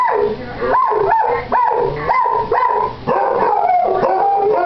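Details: Morning howling match between two Basset Hounds, Boo and Basil, the younger nearly eight months old with a puppyish voice; rising-then-falling howls come roughly every second, interleaved with a sustained, wavering howl.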